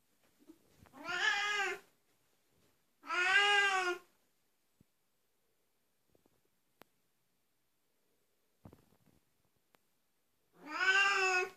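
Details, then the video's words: An Oriental Siamese cat calls three times with long, loud, nasal meows, the middle pair close together and the last after a silent gap with a few faint clicks. "Oriental siamese cat voice"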